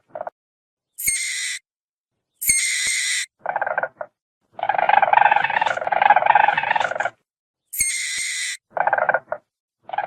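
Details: Weasel giving sharp, high, harmonic squeals in short bursts, with a longer harsh, hissing stretch in the middle. Repeated squeals and hisses are separated by silent gaps.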